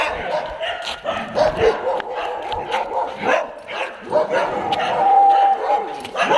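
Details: A kennel of dogs at a Jodhpur pet care hostel, January 2022, giving rapid, repeated barks that overlap one another, with people talking in the background and a brief tonal whine near the end.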